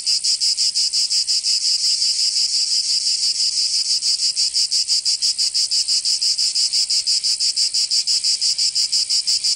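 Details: Summer chorus of cicadas in Provence, in the south of France. A loud, shrill, rasping drone beats in steady, even pulses at about six per second throughout, with nothing else audible.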